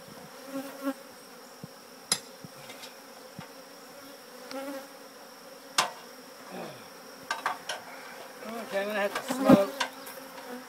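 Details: Swarm of honey bees clustering by their old hive as it is taken out of an old church; soft continuous buzz, occasional knocks, and a louder burst of buzzing and rattling near the end.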